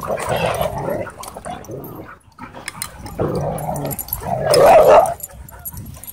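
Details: Dogs at play in a dog park make harsh growling bursts, an early one, a pause of near quiet, then a louder, raspy snarling outburst toward the end.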